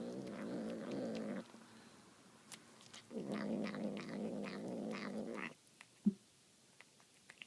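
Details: Domestic cat making demonic sounds as it eats tuna: a rough, low growl, a pause, then a longer grumbling growl with higher wavering tones, ending in quiet with one sharp click.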